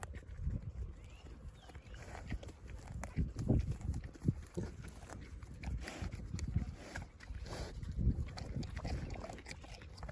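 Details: Large White pig giving low, rough grunts that come in short irregular bursts, with a couple of louder grunts standing out against steady rustling and shuffling and faint human voices in the background.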